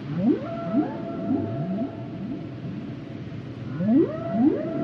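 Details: Humpback whale song phrase of repeated rising swoops, roughly every half second, each climbing and then levelling into a held tone, a quiet gap midway, then a louder run of upsweeps.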